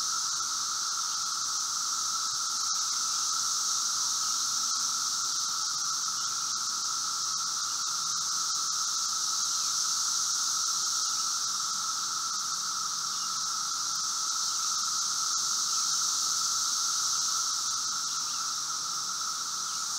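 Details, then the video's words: Brood V seventeen-year periodical cicadas (Magicicada) during their late-spring emergence, outside a residence in Logan, Ohio, 4 June 2016, 3:10 p.m.; many cicadas merge into a steady, even high-pitched roar with a lower humming band, unbroken throughout. "Brood V 17 year Magicicada periodical cicadas"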